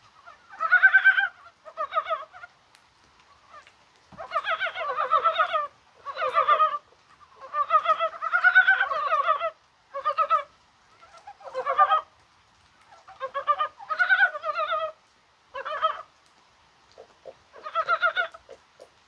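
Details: Several mountain frogs croaking in rain on a mild January 21st, perhaps during egg-laying; short, throaty, pulsed clucking bouts repeat every second or two, overlapping into a chattering chorus separated by brief quiet gaps.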